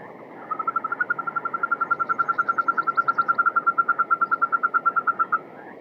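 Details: Yosemite toad, brown with spots, sitting in water in Yosemite National Park and singing with its large white vocal sac oscillating; a long even trill of rapid pulses, about eight per second, held for nearly five seconds at steady pitch.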